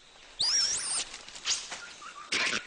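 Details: A red colobus in the upper forest canopy gives high, squeaky, wavering chirps, its snake alarm call on spotting a snake, which other monkey species in its mixed-species alliance understand.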